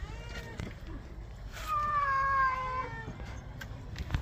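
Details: Domestic cat meowing while being given a bath: one long drawn-out meow that starts high, wavers and slides downward over about a second, with splashing and clatter before and after.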